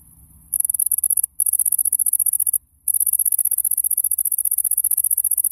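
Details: A bush cricket in a summer garden sings a loud, high, rapidly pulsing buzz in long bursts to attract a female.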